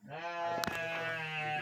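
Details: Garut sheep, with a youngster present in a breeder's pen in Indonesia: one sustained, steady, nasal bleat lasting over a second and a half, broken by a brief knock.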